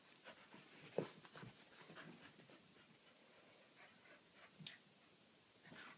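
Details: Chow Chows playing together indoors: steady panting with scattered scuffling thumps and a couple of sharp clicks, no barking.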